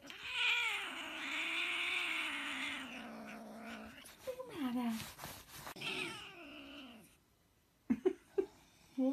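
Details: Hairless Sphynx cat growling angrily when its owner bothers it: a long, drawn-out low moaning yowl lasting several seconds, then shorter wavering rising-and-falling wails, ending with a few sharp clicks and scuffs.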